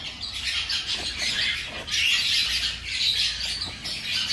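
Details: Newborn hamsters, five days old, squeak nonstop during a feed; many high, scratchy peeps blur into one bright buzzing chorus with brief louder bursts.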